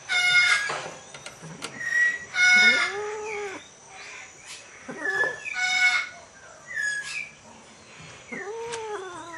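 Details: An Asian leopard cat and a Bengal cat mating: short, rough hissing bursts mixed with curving, moaning yowls that rise and drop in pitch, irregularly spaced.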